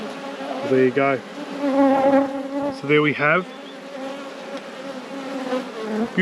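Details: Honey bees at a hive in an apiary. A steady, even drone of many bees runs throughout, broken twice by short bursts of a human voice.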